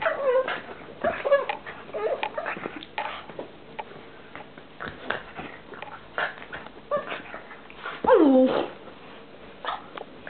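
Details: Columbo, a pug, makes a very strange noise while playing: scattered snorts and short yips, then a loud high whine that slides steeply downward near the end, followed by softer snuffling.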